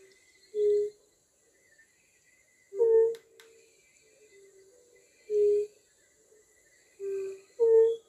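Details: European fire-bellied toad, the lowland one of Poland's two fire-bellied toad species: soft, mellow, hollow 'oop' notes at a low steady pitch, spaced about two seconds apart, with two notes of slightly different pitch close together near the end. Quiet background.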